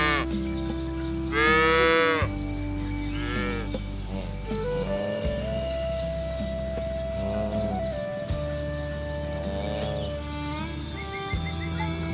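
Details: Herd of cows driven toward the pen through a rice field ditch in a rural village; low drawn-out moos with overlapping higher harmonic calls, mixed with steady background tones and a faint rhythmic ticking.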